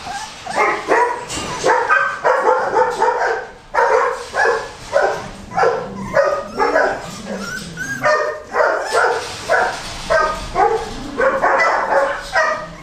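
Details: Goldendoodle puppies bark and yip almost continuously, short high-pitched bursts pulsing steadily two or so per second, several pups chiming in together over light shuffling.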